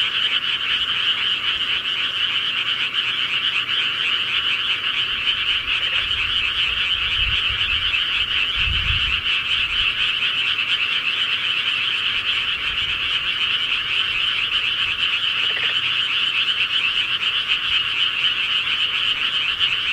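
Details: Rural frogs at night form a thick chorus of fast, overlapping croaks and trills, many individuals calling at once without pause; a brief low thump sounds near the middle.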